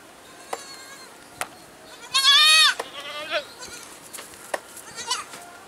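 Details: Goat giving one loud, bright, quavering bleat lasting about half a second, with fainter bleats and scattered clicks and knocks in the background.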